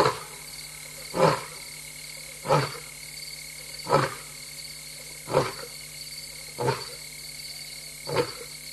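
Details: Restless lioness F70, known as Mum, alone at night in Tembe Elephant Park at 3:15 AM on 26 August 2022, gives six deep, broadband grunting roars about every 1.3 seconds over a steady high insect chorus.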